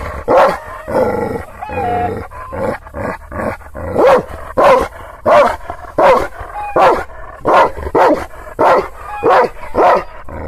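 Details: Aggressive Kangal shepherd dog (Aksaray Malaklısı) in Anatolia reacts to strangers it has never seen. A drawn-out whining tone opens, then deep barks repeat steadily about every three-quarters of a second.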